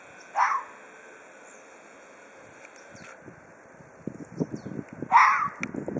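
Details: Threatening Ezo red fox: two rough, hoarse cries about five seconds apart, the second followed by scuffling, rustling noises close by.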